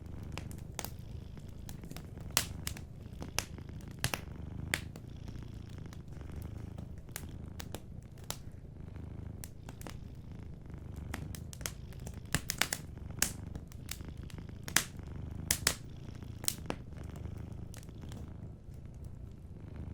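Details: Soft, continuous low purr of a sleeping cat, overlaid by frequent snapping crackles and pops from a fireplace across the whole stretch.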